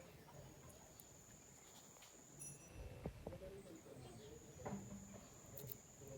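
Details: An insect at night on 2 December 2022 gives a thin, steady, very high-pitched whine that runs on with only a brief break.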